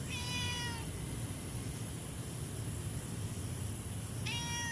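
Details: Orange house cat that has already eaten half a can of food gives two short, tonal, gently falling meows at the start and end, separated by a pause of steady hiss.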